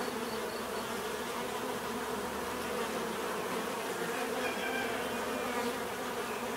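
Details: Steady droning hum of many bees, the buzz holding at an even level for the whole stretch, with a mid-pitched band and a wash of higher hiss above it.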